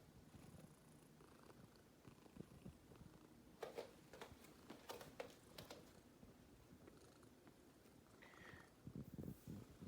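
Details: Black cat sunbathing in the morning sun, purring quietly: a soft, low, continuous rumble under faint room noise, with a few brief clicks and rustles near the middle and end.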